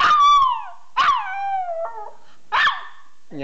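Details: Little pet dog enjoying himself with a run of short howls: each begins with a sharp yip and slides downward in pitch, four vocal bursts over a few seconds with brief silences between.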